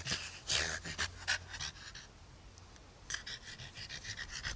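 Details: One-year-old French Bulldog playing with a plush dalmatian toy outside in a yard; rapid breathy panting in short bursts, a pause of about a second, then more panting.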